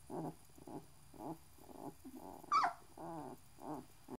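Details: Six-day-old Great Dane puppies give soft, repeated grunting whimpers, broken by one sharp high squeal.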